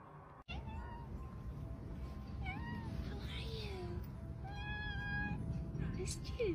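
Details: Domestic cats in a funny home compilation: several short meows, arched and falling in pitch, spread across a few seconds, with one longer steady tonal note near the end, over a constant rumbling background with voices.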